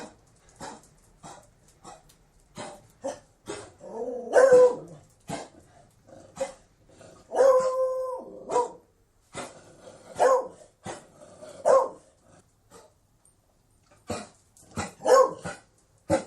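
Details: Beagle barking and baying in repeated bursts, some barks sharp and short, others drawn out into wavering howl-like bays, with brief pauses between volleys.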